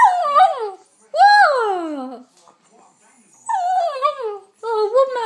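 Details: King Charles spaniel puppy "talking": a series of high, drawn-out whining yowls that slide downward, each about a second long with brief pauses between, a person's voice murmuring in a small room.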